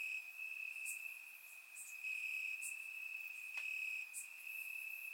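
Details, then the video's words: Summer-night crickets calling from grass in Bulgaria, captured by a surround microphone: an unbroken shrill trill at even loudness, overlaid by occasional brief high clicks. "Cricket Sounds - Crickets Chirping at Night"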